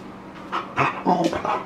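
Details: One-year-old Boxer dog giving four short, rough vocal bursts in quick succession, each a fraction of a second long, the later ones louder, over a steady low hum in the background.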